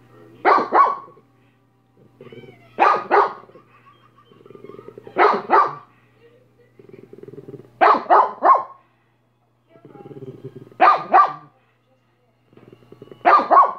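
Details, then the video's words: Minnie the dog barks in loud paired bursts, each double bark repeated roughly every two and a half seconds across the stretch, with softer growly rumbles filling the gaps over a faint steady hum. "Minnie barking for 5 minutes"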